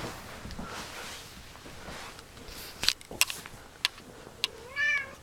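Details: Pet cat Scientist, indoors after a meal and some play, gives one short meow near the end, preceded by scattered clicks and taps over a low room hiss.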